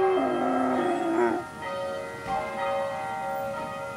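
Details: Eight-month-old Berger Picard puppy howling along with ringing church bells: a wavering, sliding howl with rich harmonics fills the first second and a half, then steady overlapping bell tones ring on alone.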